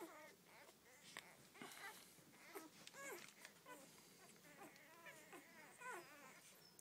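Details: First litter of twelve Rhodesian Ridgeback puppies, many small overlapping squeaks and thin whines, wavering up and down continuously over soft background rustle, with a person speaking at the end.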